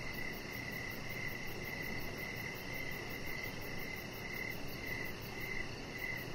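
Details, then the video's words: Evening crickets heard outdoors by a deck. Their chirps are softer and less distinct here, repeating roughly every half second beneath a strong, steady broadband hiss. "Cricket Sounds"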